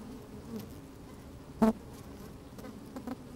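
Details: Inside an opened beehive on a sunny, slightly windy day, honey bees move about: a soft continuous hum, then one sharp loud buzz burst with clear harmonic layers, followed by a few quieter flicks of buzzing near the end.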